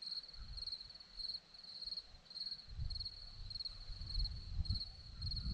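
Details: High, pulsed cricket chirping from a hillside near Zorlesti in Romania, a continuous shrill trill in short bursts, while a low wind rumble builds through the second half.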